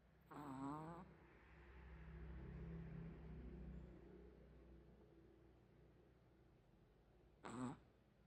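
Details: Chihuahua asleep, snoring pig-like as it usually does: a short buzzy nasal snore, then a long low rumbling breath lasting a few seconds, and a second brief buzzy snore about seven seconds later, in a quiet indoor setting.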